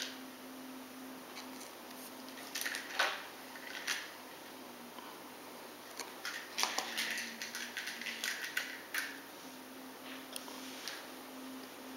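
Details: A quiet room with a faint steady hum and irregular light clicks, taps and rustling throughout; no animal calls stand out.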